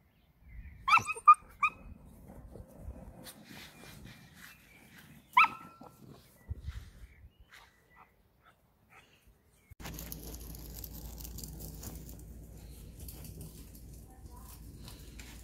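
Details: Neapolitan Mastiff puppy, just 12 weeks old, giving a few short, high, sharp yelps near the start and again around five seconds, separated by quiet stretches; a steady low background hum takes over for the final third.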